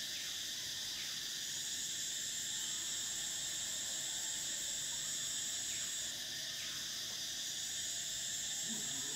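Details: Summer cicada chorus, an unbroken shrill electric hum in stacked high bands, the topmost layer fading out near six seconds, with a few faint short descending chirps in the background.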